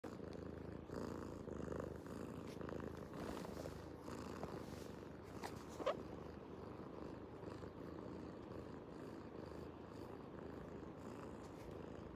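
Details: Domestic cat purring loudly while lying on a laptop and blocking work; a steady low rumbling purr throughout, with a brief higher squeak near the middle.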